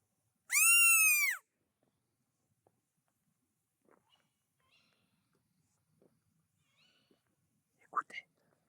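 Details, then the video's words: At night in a forest, a red fox nearby, up the slope, gives a single loud, shrill cry that rises and then falls, followed by faint whispering. "ça c'est le cri du renard."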